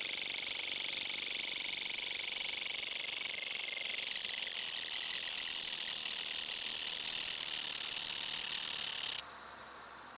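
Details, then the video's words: Crickets and green grasshoppers in a village at night after sunset: a loud, shrill high-pitched chorus pulsing quickly and steadily for about nine seconds, then cutting off abruptly to near silence. "Suara Jangkrik dan Belalang pada malam hari di desa"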